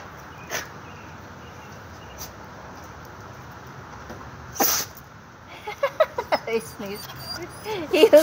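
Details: Chihuahua-terrier mix dog begging to go for a walk, giving a burst of short, high, whiny yips and whimpers in quick succession near the end, after a sneeze-like snort; quiet room noise before.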